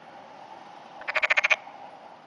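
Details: Black-spotted pond frog floating in a pond in June in early morning rain: a short rattling croak of about seven rapid pulses over half a second, against steady rain hiss.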